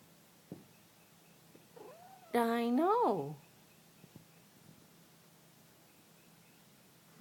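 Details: House cat indoors trying to get at a tree frog sitting on the outside of a window. It gives one loud, clear meow of about a second that rises and then falls, in an otherwise quiet room with a few soft clicks.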